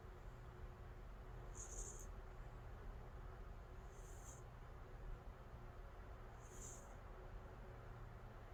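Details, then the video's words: Calico cat named Angttu in deep sleep, snoring; three soft airy breath sounds recur roughly every two and a half seconds above a steady low hum. "Cat snoring, deep sleep"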